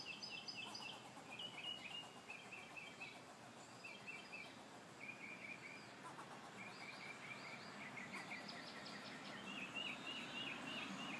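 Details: A squirrel makes odd, rapid, high, squeaky chirps in uneven bursts directed at the recordist, over a steady hiss of background noise.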